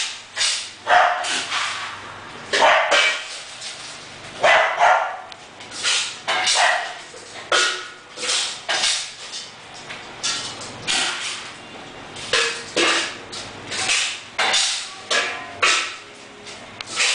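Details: Momo, an English Bulldog, gives a long run of barks, each a short, broad, harsh burst, coming about every half second to second in irregular clusters, with a quiet hum underneath.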